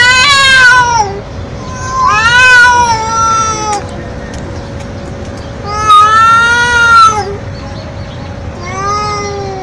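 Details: Stray feral cat meowing very loudly and nonstop: four long, drawn-out meows, each rising then sliding down, with pauses between them and a steady low hum underneath.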